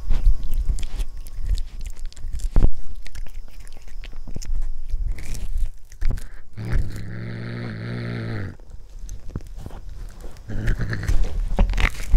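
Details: A cat meeting corn for the first time chews noisily, then lets out a low rumbling growl of under two seconds before the crunching and mouth sounds resume.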